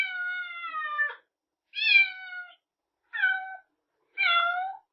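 Kittens give four short, high, harmonic meows, some falling slightly in pitch, with brief pauses between.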